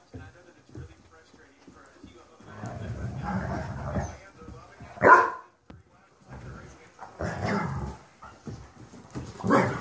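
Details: Weimaraner puppies playing are told to "cool it" by a big adult dog; a sharp, sudden bark sounds among softer growls and scuffling, and the puppies submit.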